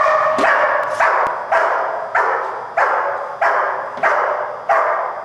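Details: German Shepherd Dog named Malachai during Schutzhund protection training, February 28th 2010: seven loud, harsh barks evenly spaced about every two-thirds of a second, each sharp onset fading into a broad ringing tail.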